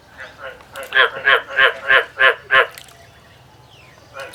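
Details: Male frog singing in a field: a run of six loud, evenly spaced raspy croaks about a third of a second apart, followed by quieter pulses and a faint high insect-like hiss.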